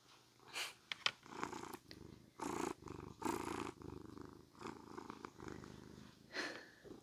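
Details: Cat purring while being brushed, close loud microphone: a soft, steady rumbling purr in breathy pulses, with sharp bristly brushing strokes at roughly one-second intervals scattered through.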